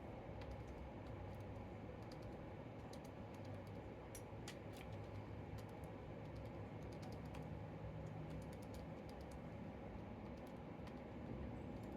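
A steady low rumble with scattered sharp clicks and taps, like keys or light knocking, and no clear animal voice.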